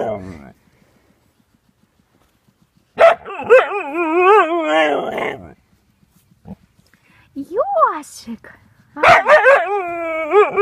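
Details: A Siberian Husky yaps near a hedgehog that will not leave. Two long, wavering, whining yowls rise and fall in pitch, separated by quiet gaps, and a short yelp comes between them.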